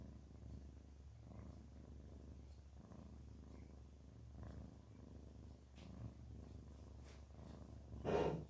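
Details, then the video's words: Contented domestic cat, relaxed and happy, purring in low rhythmic pulses roughly every one and a half seconds, ending with a brief louder rustle near the close. "makes this sound when he feels relaxed and happy. purr purr."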